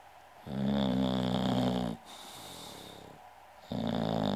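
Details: Rumbling snore from an English bulldog called Goldfinger, or Uschi: a loud, throaty rattling inhale for about a second and a half, a quieter wheezing breath, then another harsh snore starting.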